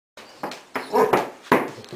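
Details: Hounds barking at people walking past their property, in March: three short, rough, broadband woofs spaced irregularly over two seconds, the middle one longest, heard at close range.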